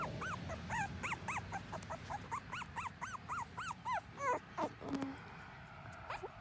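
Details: Miniature Schnauzer puppy, a young liver pepper phantom female, whimpering in a long run of thin, arched whines, each rising then dropping, repeated several times a second with brief gaps, a few clicks near the end, over low background rumble.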